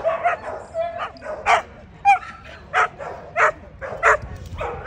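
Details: American Pit Bull Terrier at the 2024 ADBA Tristate conformation dog show, 12–18 month female class, giving a run of sharp barks roughly every half second, mixed with brief whines, over background show-hall noise.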